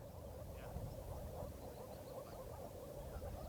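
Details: A chorus of male moor frogs in the Bargerveen gives soft, bubbling, muffled notes blending into a steady purring mass at the water in spring during their brief mating season.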